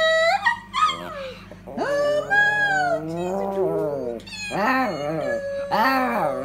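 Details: A Yorkshire Terrier "sings" along as a person sings "How Much Is That Doggie in the Window", howling in long, wavering, rising and falling tones.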